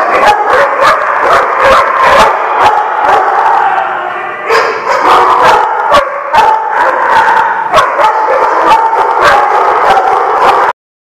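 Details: Dogs in a barking lot, recorded on 19 November 2016. A dense, unbroken din of sharp, overlapping barks and yips strikes again and again over a loud, steady wash of noise with no real pauses.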